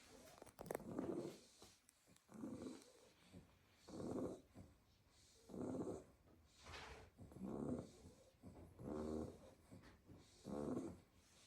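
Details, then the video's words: Staffordshire Bull Terrier puppies, a pile asleep in a basket after a full day playing in the garden, snoring in soft raspy breaths repeated roughly every one and a half seconds, each swelling and fading, in a quiet room. "A basket full of snoring staffy puppies"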